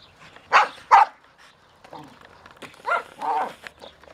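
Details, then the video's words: Cypress, a pet dog, raging at her toy in anger: short harsh growly bursts, two loud ones near the start, then quieter rumbles and a further pair of snarling bursts, with faint background noise. "Cypress rages at her dog toy"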